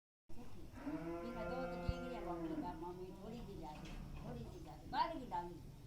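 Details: Jersey cow at a dairy farm in Shri Ganganagar, Rajasthan: a long low moo with a steady harmonic stack lasting about two seconds, followed by wavering lower calls, with a man's voice speaking nearby.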